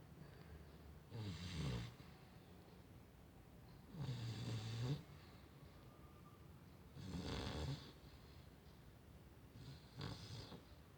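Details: Female Chow Chow dog snoring indoors: four rough, rasping breaths spaced about three seconds apart, each a low rumbling snore with a broad hissy top, quiet room between breaths.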